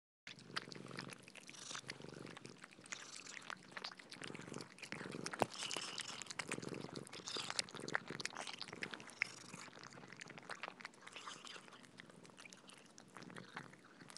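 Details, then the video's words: Cats eating soft food at feeding time indoors, a dense run of wet smacking and licking clicks, irregular and continuous, with brief louder bursts and a few soft breathy patches between mouthfuls. "Cats eating Soft Food ASMR - Feeding Cats - Cat Eating Sound"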